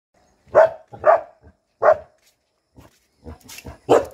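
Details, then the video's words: Bhotia dogs, the Himalayan sheepdog of Uttarakhand, guarding home: loud rough barks, three evenly spaced then a ragged burst of quieter and louder barks near the end, clear against a quiet background. "Uttarakhand Bhotia Dogs guarding home"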